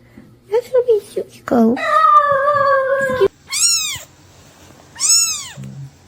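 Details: Domestic cat indoors giving a drawn-out, steady, level meow, followed by two short, high meows that arch up and fall back, about a second and a half apart; a few brief squeaky sounds come before them.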